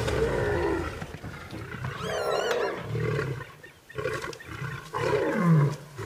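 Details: Lions in a fierce fight at sunrise on August 11, as three Birmingham males confront the Nkuhuma Pride and their cubs: deep, rasping roars and snarls overlap in a continuous, chaotic tangle, surging and fading several times.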